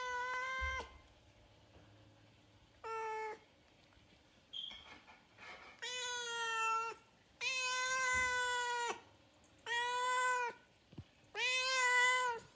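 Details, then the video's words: A Siamese cat or kitten gives loud, drawn-out meows, repeated every couple of seconds. "Loud siamese cat/ kitten meow"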